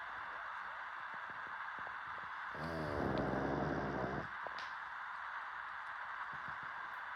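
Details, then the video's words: A pug snores once, a rumbling breath of about a second and a half set against quiet room noise with soft clicks and rustles before and after. "DOG Snoring"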